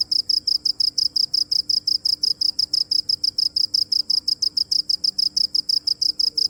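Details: A cricket's continuous shrill chirping: bright, high-pitched pulses repeating rapidly and evenly throughout, with no break and only a soft low background hum.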